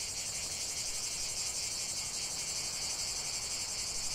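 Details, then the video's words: Cicadas singing in nature: a dense, steady, high-pitched buzzing drone with no pauses, filling the upper range throughout, without other clear sounds. "chant des cigales"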